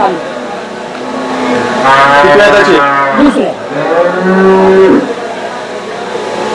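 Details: Desi cattle at the Saturday cow market in Chakan, 3 January 2026: a drawn-out, droning moo swells in mid-clip over a steady background of traders talking and bargaining, and a second lower moo follows near the end.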